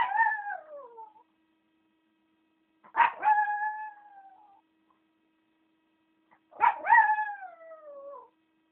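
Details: Chihuahua howling: three drawn-out, tonal howls about two seconds apart, each starting with a sharp onset, holding steady, then sliding downward and fading, with silence between them.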